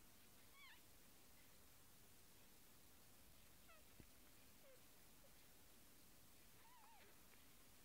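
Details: Kittens with newly opened eyes, among them little Eemeli, call with soft, wavering mews, single cries spaced a few seconds apart, one longer rising-falling mew late on, against a low steady room hiss.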